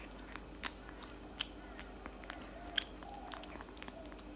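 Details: Tabby cat eating cat food indoors in a small room: crisp, irregular crunching clicks and bites, with sharper cracks standing out against a quiet, steady low hum.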